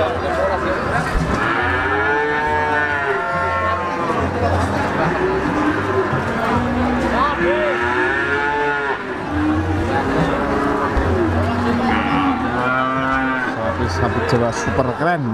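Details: Repeated moos from PO Jawa feeder cattle at the Siyono Harjo animal market, Gunung Kidul, Yogyakarta, Indonesia. Several drawn-out, arching lows come every few seconds over a steady hum of people and engines at the busy market.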